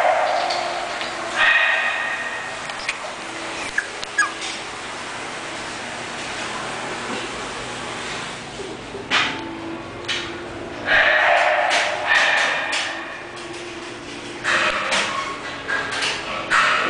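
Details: English bulldog named Jerjes, offered by a breeder, giving scattered short whimpers and high yips in irregular bursts, with quieter stretches of background rustling between them.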